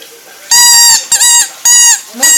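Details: Dog taught to "sing" gives a series of high, flat, nasal notes about half a second each, with brief dips between them and a short rising squeak at the end.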